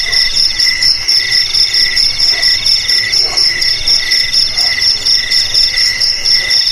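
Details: A cricket's continuous high, shrill trill with a steady pulsing rhythm, played as a sound meant to drive away rats from homes, garages, storerooms and rice fields.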